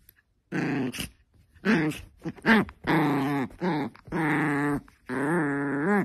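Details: Angry Chihuahua grumbling in a series of voiced, wavering growl-whines, pitch rising and falling within each burst, about seven bursts of varying length with brief pauses between them.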